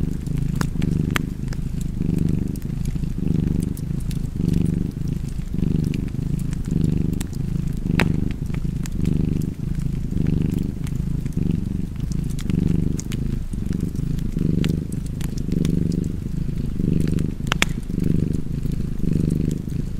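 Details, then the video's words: Cozy cat purring by a fireplace: a soft, low throbbing drone cycling roughly once a second on in-breaths and out-breaths, with irregular fire crackles and a few louder pops throughout. "Cozy Purring Cat ASMR / Kedi Mırlaması"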